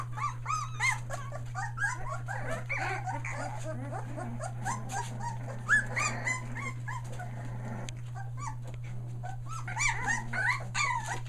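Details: Australian Shepherd pups almost three weeks old, kept near Mooresville, North Carolina, newly vocal: a dense chorus of squeaky whimpers and short yelps tumbling over one another, with a constant electrical hum underneath.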